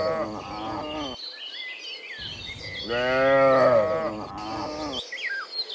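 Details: Cows in the morning, coming back from the field to the pen, give several overlapping harmonic moos, the loudest a long swelling call in the middle, while birds chirp and twitter throughout.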